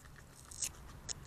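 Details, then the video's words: A family of North American beavers gnaws a felled poplar in Ingham County, Michigan, late February–early March 2024, on trail camera: three sharp, crunchy bites in quick succession over a soft, steady rustle. "BEAVER FAMILY DEVOURS A TREE"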